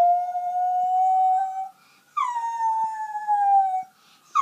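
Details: Miniature Schnauzer howling in response to an ambulance: two long tonal howls, the first steady and slightly rising, the second starting high then sliding down and holding, with a brief rising onset of a third at the end.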